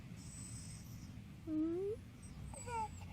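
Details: Corgi dog giving a soft whimper: a brief rising whine, then a higher, wavering whine near the end, over quiet indoor background noise.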